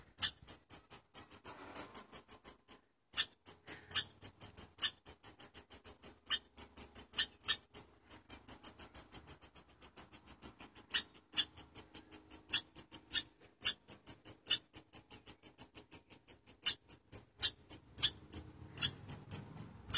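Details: Chipmunk named Chirpy giving a long, steady series of sharp, very high-pitched chirps, about three per second for twenty seconds, each a brief bright click-like note, with faint low rustling toward the end.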